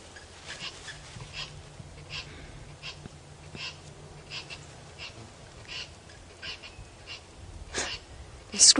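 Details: On a morning safari drive at a dam, a tree squirrel alarm-calls, possibly at a fish eagle, with a steady string of sharp, scratchy clicking chucks about one every second, like a witch's cackle, over quiet voices.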